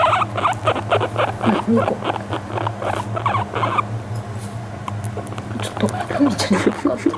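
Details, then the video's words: Guinea pig seeking affection while brushed on an owner's lap, calm and relaxed; rapid trains of brief pulsed chuts, roughly four per second, pause midway, then resume more softly, with a constant low hum beneath. "甘えている時の鳴き声☆Crying when the guinea pig fawns upon me"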